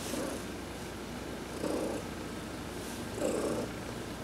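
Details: Heidi, an adopted cat, purring under a massage during a sun bath on November 19, 2020; a soft continuous rumble rises in three gentle breathing swells.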